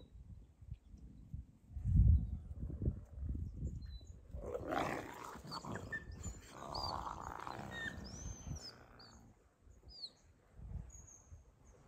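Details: Captive wolves at Northern Forest Zoo, 23 February 2024: two high-ranking wolves give a low-ranking pack member a muzzle-grab. Low rumbling and scuffle noise build into a loud snarling outburst with short high squeaky whines, then fade back to low rustling.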